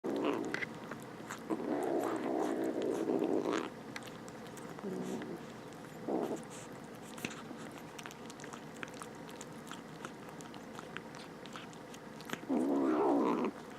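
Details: Rescued stray kittens, two of them, vocalising while eating: several bursts of low, harmonic grumbling sounds of a few seconds each, separated by quieter stretches of soft clicking and chewing.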